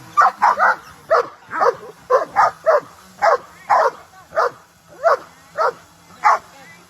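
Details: Dogs looking up at a flying drone, some barking excitedly as they run about; loud, sharp barks come singly or in quick pairs roughly every half second over a quiet background.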